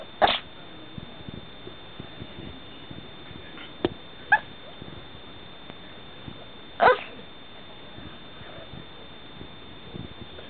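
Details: Pet Chihuahua finally breaking a staring contest with its owner; two short, sharp woofs about six seconds apart, with faint soft clicks and a steady high electronic whine in the background.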